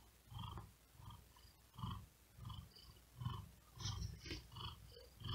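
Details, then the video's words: Sleepy cat on a cool wooden desk during hot weather: gentle rumbling purr in irregular pulses under louder breathy, whispery exhalations, a few slightly sharper breath noises near the end. "Asmr Cat Purring And Whispering Sound"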